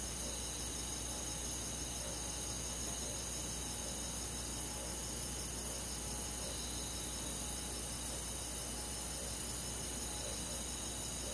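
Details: Rural summer-night forest with crickets calling: continuous high, ringing insect trills stacked in several steady layers, faint mid-pitched chirps scattered through, and a persistent low background hiss.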